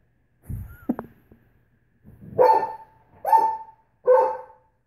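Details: A female Great Pyrenees protests nail polish. Some low rustling and a short squeak come first, then three loud, deep, drawn-out woofs spaced under a second apart.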